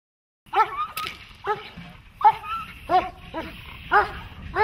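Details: Dog during protection training, German Shepherd, Malinois or similar working breed: a series of harmonic, strained barks repeated roughly every second, loud and sharp, with faint background noise.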